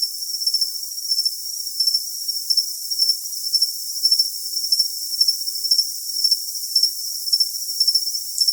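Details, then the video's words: Cricket calling in a track for tinnitus masking: high, metallic chirp bursts repeat about twice a second against a continuous thin, hissing background. "Cricket Sound for Tinnitus Masking"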